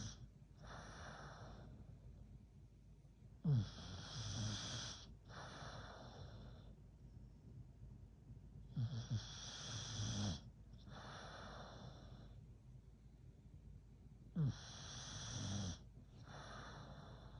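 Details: Hulk, an American Bully, happiest when sleeping, snores steadily: about four cycles roughly every five to six seconds. Each is a brief harsh snort and a low buzzing rattle, then a quieter hissing exhale.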